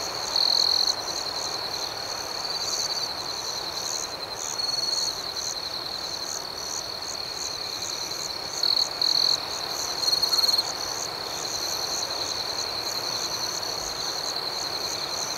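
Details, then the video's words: Nighttime cricket chorus: a continuous high-pitched shimmering trill runs throughout, with a fainter beating layer above. Short louder bursts of chirping rise at the start, near the middle and around ten seconds in. "Soothing Cricket Sounds"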